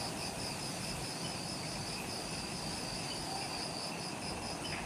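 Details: Twilight insect chorus in forest on Ishigaki Island, Okinawa, Japan, just after sunset; high rhythmic pulsed buzzing layered over a constant shrill drone, with steady low background noise and no other clear sounds.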